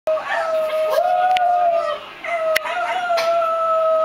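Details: Two pet dogs howling together: a long, steady, tonal howl holding one pitch, briefly rising and dipping midway, with a short break before it carries on evenly.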